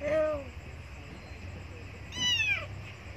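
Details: An abandoned kitten near a Buddhist monastery cries for milk with two short meows, a lower fainter one at the start and a louder falling one after two seconds, over a low constant hum.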